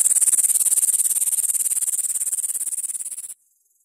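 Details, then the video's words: Grasshopper stridulating: a very high, dry, rapidly pulsed buzzing, its pulses evenly spaced and gradually softening for over three seconds before stopping abruptly, with nothing else audible. "Как стрекочет кузнечик."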